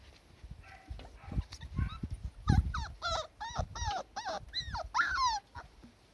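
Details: Several Cardigan Welsh Corgi puppies on a garden lawn with fresh spring shoots, 23 March 2020, give a string of high, arching whines and yelps, each swooping up then down, about two per second, over low thumping background sound.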